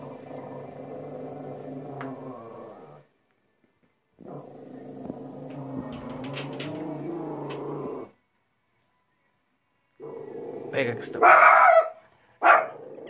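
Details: Indoors, Cristal the female shih tzu, restless from staying at home, growls in two long low rumbling stretches separated by silence. She ends with a couple of short, higher yapping barks.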